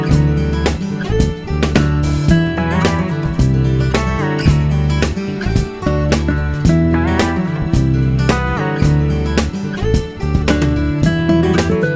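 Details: Loud strummed and slide guitar music fills the recording, with no animal sound heard.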